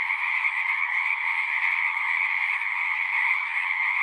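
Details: Chorus of singing frogs outdoors, a continuous wall of high, buzzy trills layered over a lower steady croaking band, smooth and unvarying across the few seconds, nothing else audible.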